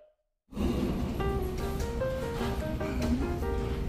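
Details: Cheerful background music with a bright plucked melody over a steady low beat; no animal sound is heard after a brief silence at the start.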